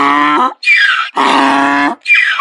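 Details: Donkey braying when angry or afraid: loud harsh alternating bray, a low buzzy harmonic 'haw' followed by a higher squealing 'hee', twice in quick succession, with no other sounds.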